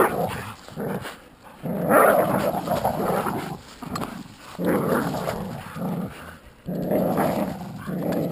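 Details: Playful tug-of-war between a Jack Russell Terrier and an American Staffordshire pit bull: three long bursts of throaty growling separated by brief quiet gaps.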